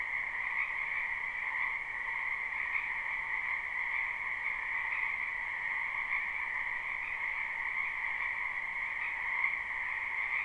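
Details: Live spring recording of frogs in a wetland near a house: a slightly quieter, steady chorus of high trills forming an unbroken hum in two bands, uninterrupted by other sounds.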